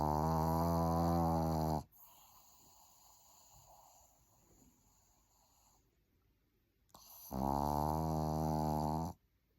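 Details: A sleeping dog snores indoors: two long, deep, droning breaths with a rich buzzy rattle, the first lasting about two seconds and the second about two seconds, separated by roughly five seconds of quiet room hiss.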